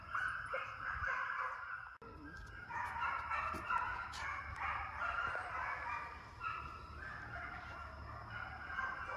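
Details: Several hound pups trailing coyotes in a fox pen during summer endurance training; rough, overlapping bays and yips blend into a continuous chorus with broadband background noise.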